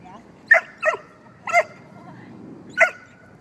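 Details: Six-month-old dog during bite work training: four sharp, ringing barks spaced irregularly over three seconds, with a quiet background between them.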